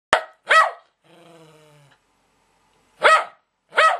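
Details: Lakeland Terrier playing with a spinning top it treats as its own toy: four sharp, short barks, two close together, then a pause with a brief whirring hum, then two more barks.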